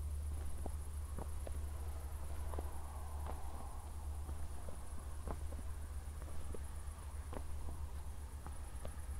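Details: Night crickets in Zwettl, Austria, recorded shortly after a thunderstorm: a continuous thin, high trill pulses without a break while footsteps tap irregularly and a deep background hum persists.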